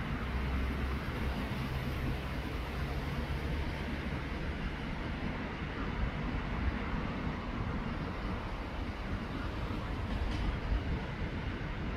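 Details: Steady low rumble of passing vehicles or traffic with no clear animal voice.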